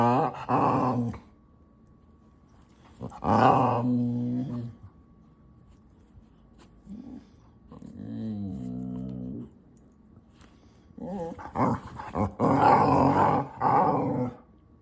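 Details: Pet dog making odd, drawn-out groaning growls with a pitch that wavers and slides, in several separate bursts of one to two seconds with quiet gaps between them, indoors.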